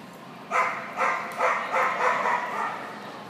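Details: Portuguese Podengo Pequeno during a Novice Jumpers With Weaves agility run. Five short, sharp barks come about every half second, then fade into a softer trailing yelp, heard over the faint hum of an indoor hall.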